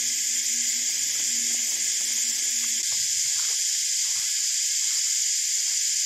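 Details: Cicadas in full chorus high in gum trees by a lake in the Australian bush on a hot summer day after recent rain: an unbroken, loud, high-pitched hiss holding steady throughout, with a faint low hum early on.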